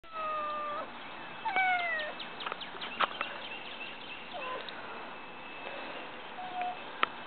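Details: Lil Pat, a pet cat, watches birds and squirrels across the street and wants to play. Two drawn-out harmonic meows, the second sliding downward, come over a steady background hum with scattered clicks and taps.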